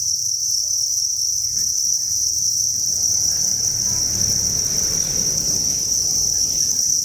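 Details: Crowded cricket breeding facility with thousands of chirping crickets: a constant high, ringing trill dominates while a rising low rumbling noise swells from the middle onward.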